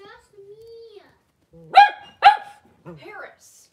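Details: Blenheim Cavalier King Charles Spaniel puppies, five born at New Year, in an indoor puppy pen with their mother Paris: a thin steady whine, then two sharp high yips in quick succession, ending in a softer wavering whimper.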